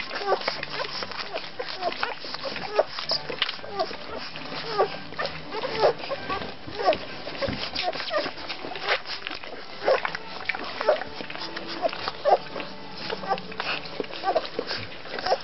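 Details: Rhodesian Ridgeback puppies in their second week of life, from a litter, giving short high squeaks and whimpers about once a second, irregular and overlapping, with people talking softly throughout.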